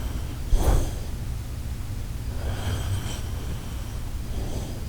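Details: Shiba Inu named Koharu sleeping indoors, giving one sharp snorting snore burst followed by quieter, soft breathing rasps in a quiet room.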